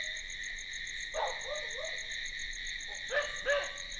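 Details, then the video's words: After dark, crickets hold an unbroken, high, pulsed chirring. It runs alone for a long stretch, broken only by a few short barks and a soft falling call in the middle and at the end. "Night Crickets sound effect"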